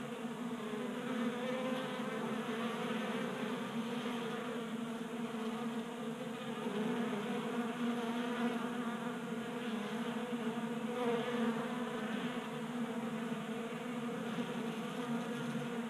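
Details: Honey bees feeding at a 3D printed table-top feeder in a garage in Colorado during a warm January spell, staying active on 60-degree days; a steady, dense buzzing hum of many wingbeats with layered low tones drifting slightly in pitch.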